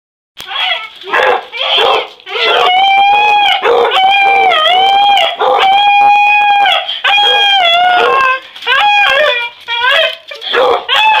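Beagles bark in short bursts, then break into long, drawn-out baying howls that waver in pitch.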